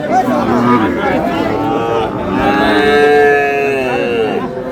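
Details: At a full Satkhira market in Bangladesh on 10 May, Sahiwal bull calves low during price bargaining; a prolonged, rich moo swells mid-clip and slowly fades, surrounded by loud chatter and a crowd.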